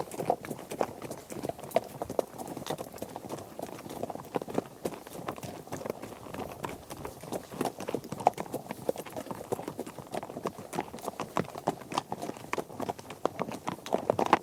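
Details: A herd of horses on a trek across grass, dirt and gravel; many hooves clatter in a dense, irregular patter of sharp knocks and thuds.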